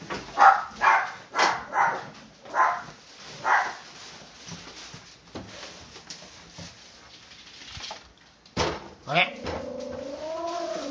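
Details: Two house dogs, a Toy Poodle × Pomeranian mix and a Chihuahua, greeting their owner at the door as he comes home; five or six sharp barks about once a second, then scuffling and a man speaking soothingly.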